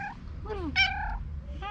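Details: Domestic cat trilling, a greeting sound described as a mix of meowing and purring made on seeing someone it likes: several short, chirping, harmonic notes, one gliding downward, then a brighter rising chirp, over a low background hum.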